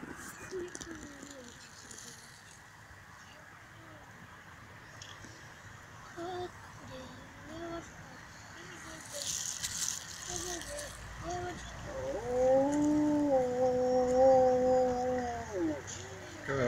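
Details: Wolves at the Kostroma Zoo; after human talking, one long, steady, tonal howl holds level for several seconds near the end, followed by laughter.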